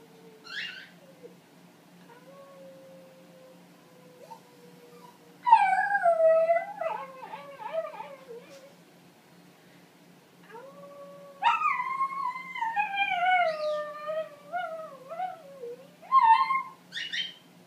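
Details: Italian Greyhound doing vocal warm-ups: a thin, quiet wavering note, then bursts of high, quavering howls that slide downward and wobble, pausing, and returning in a longer series of tremulous, falling howls with short yelps at the end.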